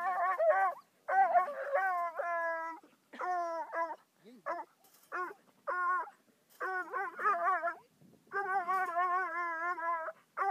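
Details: Meeting his second raccoon, a young Bluetick hound of five months bawls steadily, its drawn-out, resonant howls mixed with short choppy yelps and brief pauses, continuing for about ten seconds.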